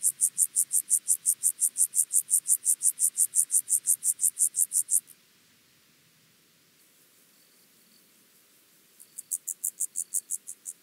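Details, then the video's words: Chorthippus vagans, the penumbra grasshopper, stridulating in Mörnsheim, Germany, 14 July 2023: a steady train of about 25 evenly spaced, hissing high pulses, a pause of several seconds, then the pulse train starts again. "Chorthippus vagans -- Steppengrashüpfer -- Penumbra Grasshopper"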